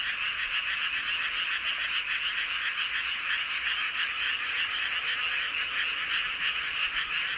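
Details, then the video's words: Numerous frogs singing together beneath a full moon in Seowon-myeon, Hoengseong County, Gangwon Province, Korea; a steady, somewhat softer, high buzzing trill chorus with blurred overlapping pulses. "보름달 아래 개구리들의 합창"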